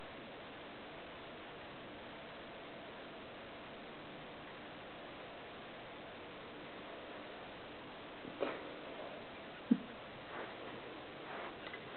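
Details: A quiet indoor room with a steady low hiss, broken only by a few faint, short knocks and clicks near the end.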